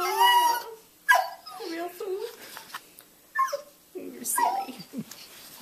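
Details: A beagle's softer yodel-woe: a few short, wavering, sorrowful whines and moans broken by gaps, quieter and more scattered, in a small room.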